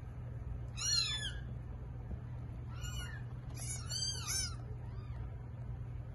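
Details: Cat giving birth to eight kittens. Loud, piercing mews rich in overtones come in bursts: one near the start, another at three seconds, then a rapid overlapping cluster and a fading last cry, with low hum beneath.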